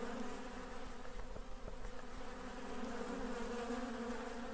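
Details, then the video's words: Busy honey bees give a low, rough buzzing drone with faint overtones and soft irregular ticks, the hum wavering in loudness over a few seconds. "RONZIO DELL' APE | BUZZING BEES"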